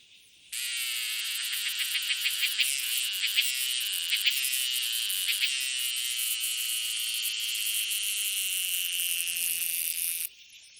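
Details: An unidentified insect on a tree gives a loud, continuous, high buzz with rapid pulsing throughout.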